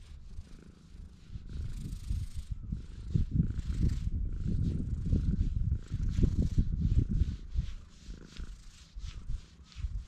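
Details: Purring of a stray cat on a cat island on a clear, blue-sky day: a loud, throbbing low rumble pulsing about three times a second, steady throughout, with light rustles and brushing sounds above it.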